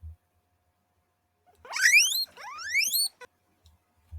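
A guinea pig gives two loud, rising whistles, each sliding sharply upward in pitch.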